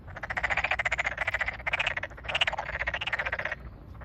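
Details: Chorus of Tokyo Daruma pond frogs calling in rice paddies newly filled with water, May 8, 2022, satoyama countryside. Dense, rattling pulse trains run almost continuously, with loud grating croaks briefly pausing before a final burst.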